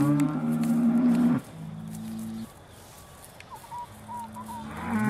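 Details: Beaulands Aussie Red dairy cows awaiting milking, December 2012: one loud steady moo for over a second, then a softer lower one, a quiet pause with a faint high squeak, and a new moo beginning at the end.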